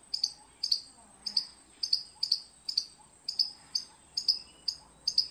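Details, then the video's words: Loud, sharp squirrel chirps repeat about every half second, some in close pairs, over a steady high-pitched hum in the background. "The Call of the Squirrel"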